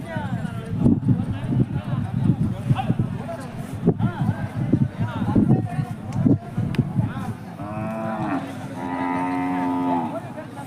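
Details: At the Jodugatte cattle market in India, Hallikar cattle give a long, steady, deep moo of about three seconds that closes the recording, after loud close-up speech and market bustle.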